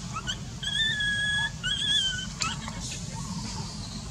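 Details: Baby monkey in pain from an eye injury crying: long thin high whistled wails, level then slightly falling, two drawn-out cries followed by shorter squeaks over low background rumble.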